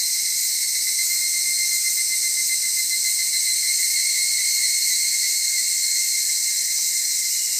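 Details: Chorus of evening cicadas at Atarashiki-mura, Japan, a continuous high-pitched ringing drone holding steady tones, unbroken across the whole stretch.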